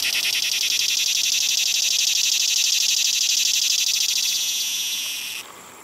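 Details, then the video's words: A singing cicada at PCP, 3 September 2020, with a 17-year emergence suggested: a loud, shrill, finely pulsed buzz runs steadily for over five seconds, then cuts off sharply, leaving a faint background hum. "Cicada Singing"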